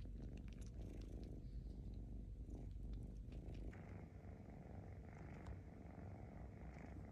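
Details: Kitten, a rescued cat, sucking its paw pads with soft irregular wet clicks over a steady low purr; the clicking thins out midway as a faint higher hum enters behind the purring.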